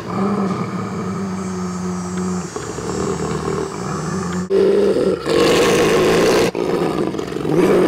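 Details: Two brother wolves, together fourteen years without ever injuring each other, settle an angry dispute by voice: a sustained low growl breaks into louder, raspy, higher snarls midway, then settles back into rumbling growls.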